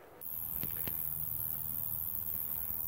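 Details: Roesel's bush-cricket (Roeseliana roeselii) song recorded in situ in south-east Wales with some traffic noise: a very loud, continuous, very high rasping buzz, like a prolonged raspberry.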